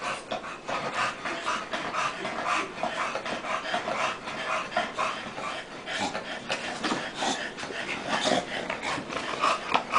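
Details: Two dogs, Tank and Bofa, grappling in play: steady rapid panting and huffing breaths with scuffling bursts throughout, a brief human voice nearby.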